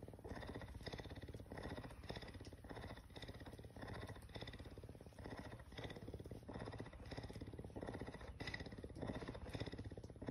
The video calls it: Cougar Purring! So Cute!